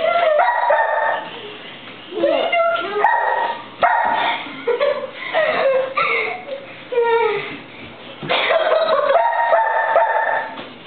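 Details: Old English Sheepdog named Millie, playing tag indoors with two people, gives short bursts of harmonic barks and yips spaced a second or two apart, overlapping with excited children's voices and laughter.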